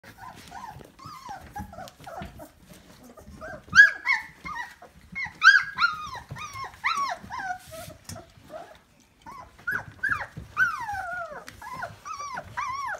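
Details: Labrador Retriever puppies, 24 days old, from the Alice litter of the Kloster Marienthal breeding kennel, recorded 31 May 2020. Several pups give squeaky whines that rise and fall, with soft grumbles and shuffling between them.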